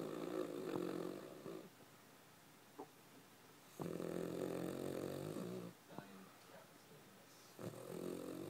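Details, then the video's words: Charlie, a pet dog, sleeping indoors: long rasping snores, each lasting one to two seconds, separated by quiet pauses, the rough breaths returning three times across the stretch. "Charlie the snoring dog"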